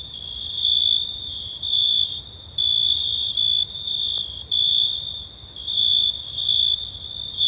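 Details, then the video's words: Crickets recorded on a hot summer night, a steady high-pitched trilling tone broken into loud pulsed bursts of about half a second to a second, separated by softer gaps, with faint higher overtones and a quiet background. "Cricket Sounds"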